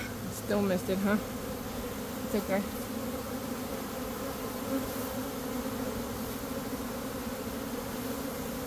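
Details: Honey bee swarm being caught in early May after a dearth, one of two swarms that day; a low steady droning hum fills the clip, with brief human speech near the start.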